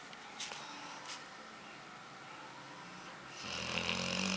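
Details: Female dog named Aila, nicknamed Lalá, asleep and dreaming, her eyes moving rapidly as if she wants to run; quiet room hiss gives way after a few seconds to a louder, rough, breathy snore.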